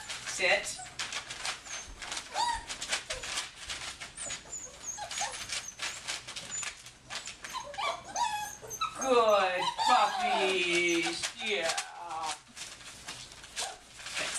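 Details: Eight-week-old puppies give high, squeaky whimpers and yips in short irregular bursts, with a run of louder, wavering whining cries in the middle; faint voices and household noise sit underneath.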